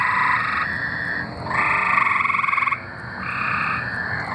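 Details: Arkansas tree frogs in song, their pulsed trills overlapping almost without gaps. Each trill runs for one to one and a half seconds, with a rapid, buzzy pulse and a fainter trilling caller in the background.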